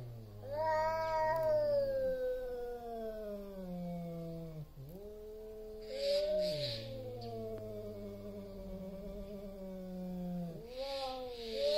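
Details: Two big tomcats squaring off before a territory fight trade long descending yowls and low growls, each howl swelling then sagging, repeated several times with short breaks and faint hissy bursts between.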